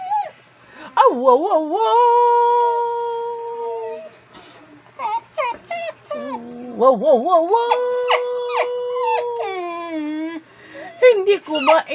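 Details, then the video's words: Pet dog answering a person with wavering, sliding howls that dip and rise, then long held notes, mixed with short whimpers and a person's voice. "Talking to my Dog"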